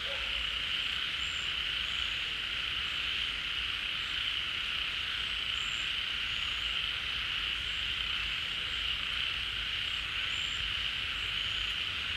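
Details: In the rainy season, frogs leave their hiding places and gather at a pond as it fills, forming a dense chorus that keeps up a steady, high, buzzing trill with no breaks.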